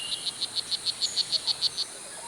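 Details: Male strawberry poison-dart frog, blue jeans morph, in Costa Rica, calling loudly to attract a mate: a quick series of about twelve short, high, insect-like chirps, evenly spaced roughly every 0.15 seconds, against faint forest hiss.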